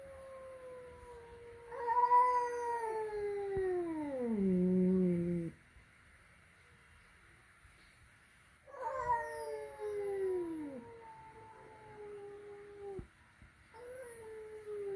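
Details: Cats meeting for the first time at home, a flat-nosed cat facing a peak-nosed cat: two drawn-out wailing caterwauls, each starting high then sagging into a low growly end, separated by a few seconds of quiet.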